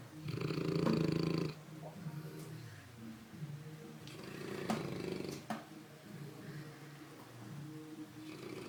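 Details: Ruffus, a St. Bernard dog, snoring while asleep: one loud, low rumbling snore at the start, then quieter uneven breathing and further faint snores, with a few sharp clicks.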